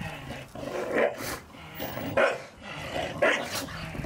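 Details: Staffordshire Bull Terriers romping in the garden over Christmas balls; low growling with a gruff bark roughly every second, three clear bursts in quick succession.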